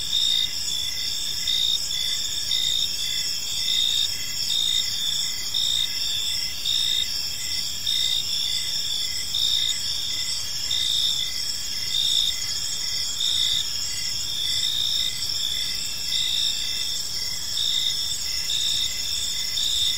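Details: Steady park ambience at evening filled with crickets: continuous piercing high trills layered at several pitches, pulsing in quick regular beats for the whole stretch, with a faint low hum beneath.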